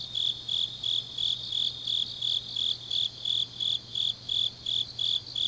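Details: Grass insects singing on a deep autumn night in Changnyeong, South Gyeongsang, South Korea: high, clear chirps repeated steadily about three times a second, with a second fainter chorus pulsing underneath and a low steady hum.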